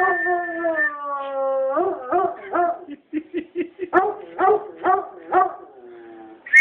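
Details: Howling foxhound responding to a whistle: a long, level howl that slides gently downward, then a broken run of short, rhythmic bays and yelps repeated about twice a second, ending with a faint higher whine.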